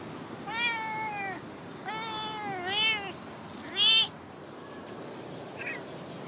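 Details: Female stray cat, a regular in a park car park, talking in three clear, drawn-out, wavering meows about a second apart, the last one higher and brighter, then a soft faint chirp.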